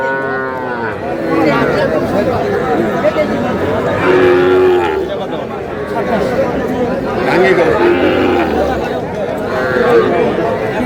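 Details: Young bull and heifer calves at a busy Faridpur cattle market on 1 August give low, drawn-out moos, several spread across the recording, beneath constant crowd chatter and bargaining voices.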